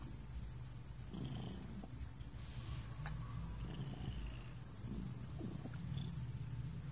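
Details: Thunder, a relaxed cat, giving a steady low purr, an even rumble without clear breath pulses, with a few faint clicks over it.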